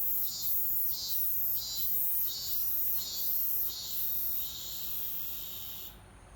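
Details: Robust cicada singing at an undisclosed location: loud, high buzzy pulses repeated roughly every 0.6 seconds in a steady rhythm, the pulses running together and fading toward the end before stopping abruptly.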